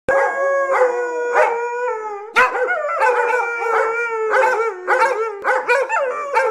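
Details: Several dogs at home, excited while getting ready for a morning walk, give long harmonic howls with wavering pitch, overlapping and rising into repeated yelping bursts.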